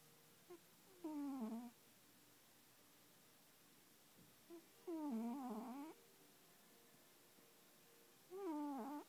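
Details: Cat snoring in its sleep: three strong, squeaky, wavering tonal breaths about a second long, coming roughly every three to four seconds, with a faint click before two of them and a quiet room otherwise.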